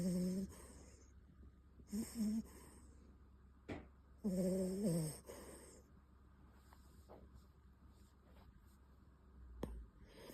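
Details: Sleeping Beagle puppy Bon, with short, broken low snores and wheezy breaths early on, then quieter breathing punctuated by a few sharp clicks in a small room.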